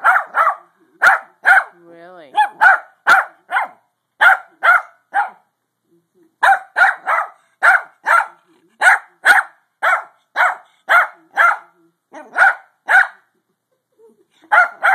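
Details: Pug trying to sleep, giving short, tonal, mid-pitched barks, often in pairs or quick runs at roughly half-second spacing, broken by a few silent gaps; a brief wavering whine appears near two seconds.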